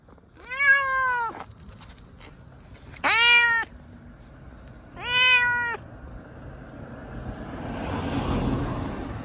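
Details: Munchkin cat calling on the way to the vet for a blood test, three loud harmonic meows about two seconds apart, each steady and slightly falling, followed by a rush of vehicle noise.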